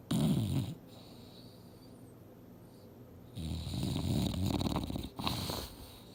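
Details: English Bulldog Mildred snoozing on a couch while dreaming: a rough, fluttering snore, a quiet pause, then a longer raspy snore that breaks into snorting bursts.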